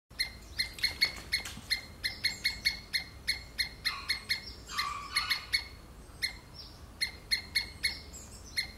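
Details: Squirrel screaming: sharp, harmonic-rich chips repeated steadily about three times a second, with a few smeared, rasping notes near the middle; no other clear sounds besides low background hiss.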